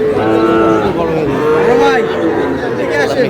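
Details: Sahiwal breed bull cattle bought by a farmer from Comilla, on 25 April: several harmonic, drawn-out moos around mid pitch, one falling slightly, among steady human chatter and crowd noise.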